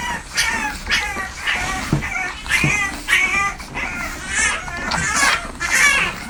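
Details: Newborn French Bulldog puppies nursing give thin, high squeaks and whines in an overlapping, irregular chorus.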